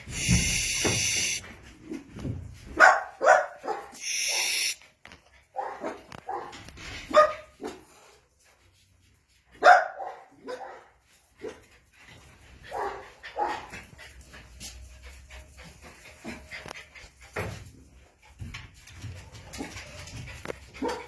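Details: Jack Russell Terrier puppies playing: scattered short high barks and yelps mixed with whines, irregular, with quiet gaps and rustling handling noise, plus a burst of broadband noise near the start.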